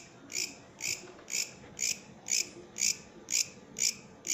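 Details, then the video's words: Katydid, a bush cricket, singing: short buzzy high-pitched chirps repeated about twice per second in a steady rhythm, nine bursts, over a quiet low background hum. "Katydid, bush criket singing"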